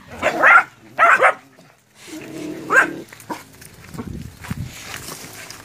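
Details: Puppies, nine of them, confronting a big water buffalo during training before going to the field in West Sumatra, Indonesia; loud harsh barks in two quick bursts, then a further bark and lower grumbling sounds.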